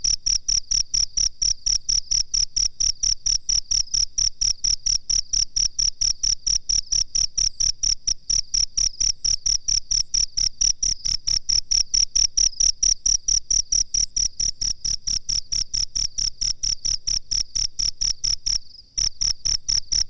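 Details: High, metallic cricket chirps pour out in a rapid regular pulse for a songbird training master recording, pausing briefly near the end before resuming, with a low steady hum in the background.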